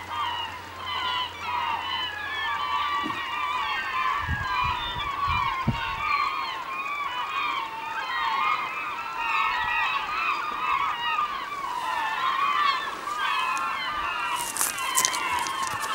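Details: Several beluga whales in the Naknek River, 24 April 2015 at 8:30 am: a dense, continuous chorus of overlapping squeaky, warbling whistles and chirps, with brief low thumps early on and a burst of hiss near the end.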